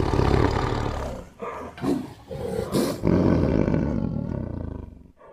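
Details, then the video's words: A tiger roaring: one long, low, throaty rumble that swells, breaks briefly into shorter pulsing grunts, then surges again into a sustained roar that fades out. "Awesome Tiger Voice Sound"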